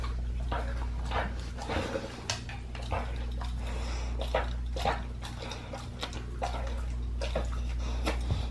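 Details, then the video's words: Pit bull eating a raw leg of lamb as raw feeding: wet, irregular crunches and smacking bites about twice a second over a steady low hum. "PITBULL EATING RAW LEG OF LAMB"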